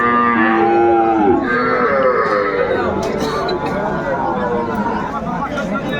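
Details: At Ambari market in Bangladesh on 18 May 2024, a Sahiwal bull calf gives one clear, bending moo in the first second before market chatter and bustle take over.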